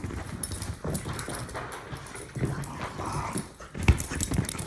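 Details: Two dogs, a Jack Russell Terrier mutt and an English Bulldog, play-fighting, giving continuous deep rumbling growls mixed with scuffling noises, with a louder snap near the four-second mark.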